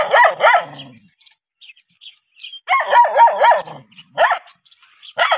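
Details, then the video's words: A dog barks at an approaching stranger: paired sharp barks, a quiet gap with faint scattered noises, then a fast run of four barks followed by single barks at the end. "How Dogs React When Seeing Stranger 11 - Running, Barking?"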